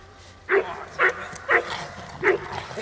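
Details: Kiki, a four-year-old Presa Canario, gives four sharp, separate barks, the first three about half a second apart and the last after a short pause, over a low steady hum.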